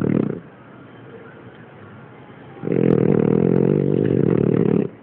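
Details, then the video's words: French Bulldog named Kina snoring: quiet breathing, then a loud, low, rasping snore lasting about two seconds, with the tail of an earlier snore at the start. "bulldog frances roncando kina"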